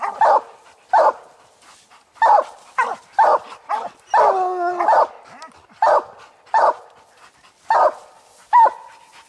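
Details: Treed raccoon held by three coon dogs, old Lucky, Mossie and young Star, barking steadily. Short chopped barks repeat about every second, with one longer howling bawl midway and a rising yelp at the end.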